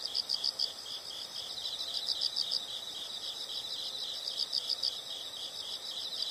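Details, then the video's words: Faint insect chirping in a nature soundscape, high pulsed notes in groups of about four, repeating every couple of seconds against a constant background hiss. "the sound of insects"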